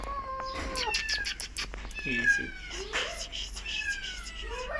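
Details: Two abandoned feral kittens being caught late at night at a house, said to be hissing and spitting; several loud, drawn-out kitten mews, some rising and some falling, mixed with noisy bursts and a person's calming voice.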